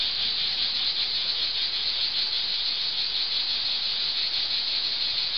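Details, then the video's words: Cicadas sing in a steady, shrill, buzzing chorus that never pauses, under an old olive tree in Archangelos, Rhodes, Greece, in summer. "Sound of Cicadas under an olive tree"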